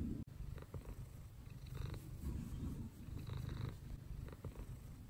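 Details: Pet cat sunbathing indoors, purring steadily: a deep, continuous rumbling purr with a rhythmic pulse of breathing in and out, the only clear sound throughout.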